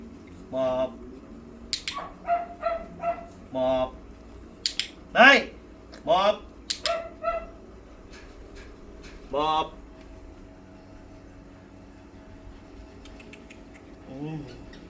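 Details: Pomeranian named Mi-yu during a training session, giving a few short, sharp, rising yips and barks scattered between a person's spoken commands, with longer quiet stretches toward the end.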